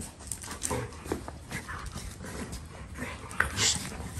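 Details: Two Golden Retrievers locked in excessive rough play: scuffles, snorts and short grumbling vocal bursts with clicking paws and collar jingles.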